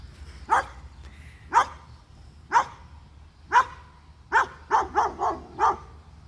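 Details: Dog reacting to being recorded and to noise, giving single sharp barks about once a second, then a faster run of five closely spaced barks, over a low background hum.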